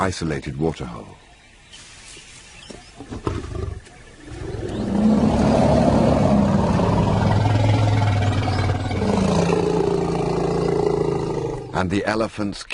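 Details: Two intimidating newcomer lions roar on Simba's turf, an ultimate insult inside another lion's territory; a sustained, heavy, low roar swells for about seven seconds, with brief narration before and after.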